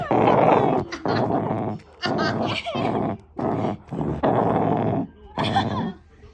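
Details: Shiba Inu dog making an engine-like growl; a series of rough, grunting growl bursts about one second long, separated by brief pauses, with music faintly in the background.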